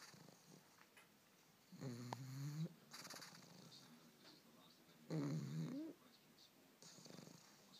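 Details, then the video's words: Sleeping pug, dreaming though it looks awake, gives two rough, low droning snores under a second each, about three seconds apart, with soft breathing noise in between. "Pug Dreaming and Snoring"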